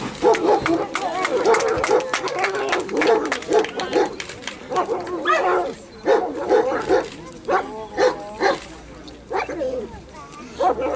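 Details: German Shepherd at a 2015 dog sport cup in Ukraine, competing in the companion dog test of a guard and protection programme; loud, sharp barks in rapid bursts of several, repeated throughout, with human voices talking in the background.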